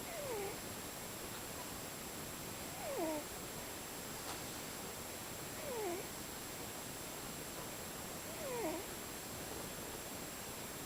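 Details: Snoring from a sleeping cat in shifting tones: faint descending whistles with a small upward hook repeat every two to three seconds, quieter than the steady hiss filling the room.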